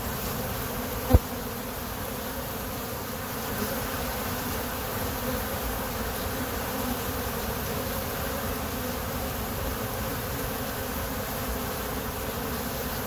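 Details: Many honey bees from a backyard hive blend into one continuous low hum, even and unwavering, with no pauses or rises; a single sharp click cuts through early on, and a plane may be heard.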